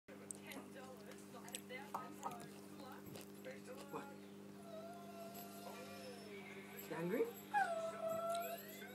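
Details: A 3-year-old female Alaskan Malamute whines and cries in high, wavering tones while waiting for her dinner.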